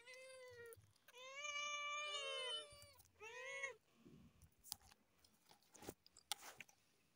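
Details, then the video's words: Cat meowing loudly while on top of a car: three loud, harmonic meows in quick succession, the middle one long and wavering, followed by scattered clicking and chewing-like noises. "cute cats meowing loudly on top of a car"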